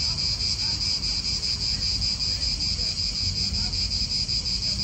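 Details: Cicadas in an Italian park: a steady, high, shimmering buzz pulses about two or three times a second without a break, with a soft low rumble of wind underneath.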